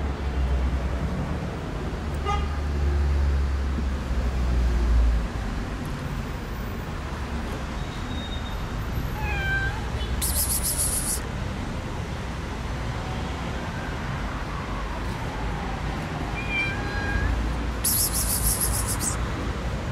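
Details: Alley cat in a park being fed among other cats, giving several short falling meows spaced a few seconds apart over a loud steady traffic roar, with bright hissing noise bursts.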